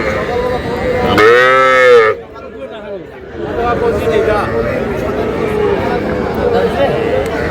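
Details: Sahiwal cattle among small bull and heifer calves bought by a farmer in Shariatpur, Bangladesh, 11 August: one loud, rich harmonic moo lasting about a second, its pitch gently arching, then fading into steady background human chatter.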